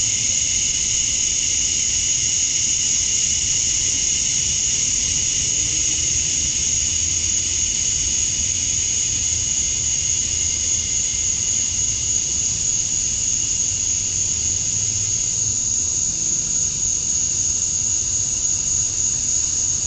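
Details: On a summer night at dusk in Georgia, USA, male cicadas call to draw in females. An unbroken, hissing high-pitched buzz holds steady throughout with a fainter lower tone beneath it, and a distant low rumble.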